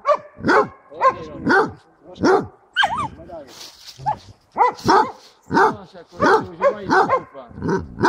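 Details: A Basset hound working as a bayer on a wild boar during a hunt near Šaštín, Slovakia, on 10 January 2014 gives rapid, ringing barks, several each second.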